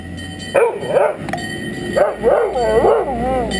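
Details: Dalmatian named Snuffa, upset when the ice cream truck doesn't stop, gives a run of short wavering howling yowls that rise and fall, in bursts of two or three, with a steady high tone humming underneath.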